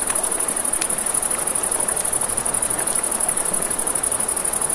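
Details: A shrill, fast-pulsed insect trill from crickets by a river at night holds constant and high above the flowing water's hiss, with occasional crackles from a nearby campfire.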